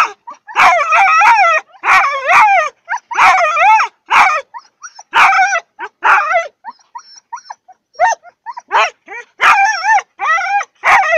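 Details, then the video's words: Siberian huskies vocalising before training, broken into choppy howls and yelps: short harmonic calls that rise and fall, punctuated by sharp clicks or barks, repeated roughly every second with quieter stretches mid-way. "Хаски похожие на волков поют песню"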